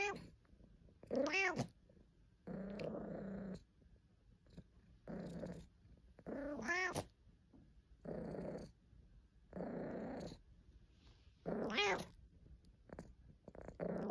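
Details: Caesar von Schwanheim, a pet cat, complaining and purring: rough, low purring bursts of about a second alternate with three sharp, harmonic meows that rise and fall, each sound separated by short pauses.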